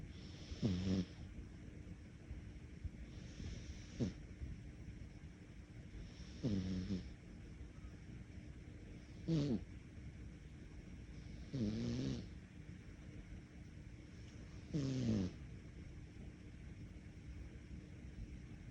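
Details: A sleeping cat snores in slow, even breaths, each low rasping snore coming about every three seconds, with soft pauses between them in a quiet room.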